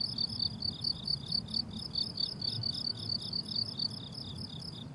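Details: Crickets on a flowering summer meadow give rhythmic high-pitched pulsed chirps, roughly two each second, steady and even, over a gentle low-frequency hum of outdoor noise.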